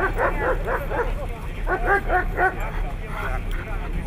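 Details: Siberian Husky filmed in Nizhny Novgorod on 3 February 2017, a competition day, giving bursts of short arching, harmonic yelping whines in quick groups of three or four, pausing between runs, with human voices murmuring underneath.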